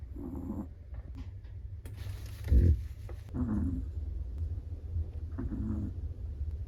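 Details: Snoring Chihuahua, asleep, giving gentle hoarse breaths about every two to three seconds, with one louder dull thump midway and a low constant hum underneath.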